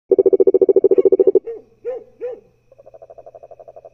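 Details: Cururu toad calling: a fast, loud pulsed trill opens, then a few odd arched warbling notes, followed by a softer, quicker trill near the end.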